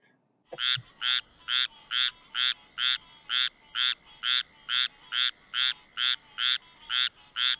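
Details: Squirrel treefrog, a small insect-eating frog, calling: short harsh raspy notes, duck-like quacks rather than squirrel-like, repeated steadily about twice a second after a faint click at the start; no other sounds.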